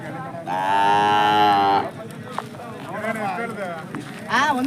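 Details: Hallikar cattle at the Jodugatte cattle market in India, a local desi fair: one long, loud, rich harmonic moo lasting over a second, followed by men bargaining in Kannada and a brief rising call at the end.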